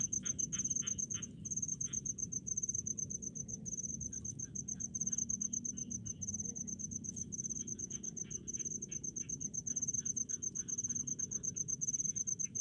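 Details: Cricket chirping in rice fields, a steady high-pitched pulsed trill repeated without pause across the whole stretch, with fainter lower clicking insects and a soft low rumble of background noise beneath.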